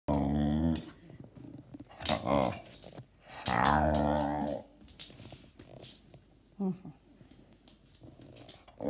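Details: Talking dog producing vocalisations said to sound like the word "mama", its first word, indoors: long, drawn-out growling moans with a wavering pitch, repeated three times. A person repeats "mama" and offers praise in Russian afterwards.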